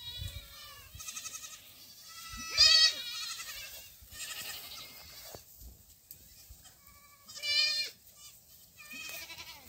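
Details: Young black goats running on a Gimhae, South Korea farm, 22 July 2008; scattered quavering bleats, a louder burst near the middle and another later, with quieter stretches of rustling between.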